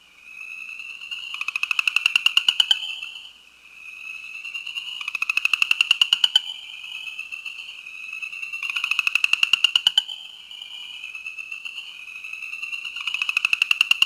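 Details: New Jersey chorus frog (Pseudacris kalmi), advertisement call.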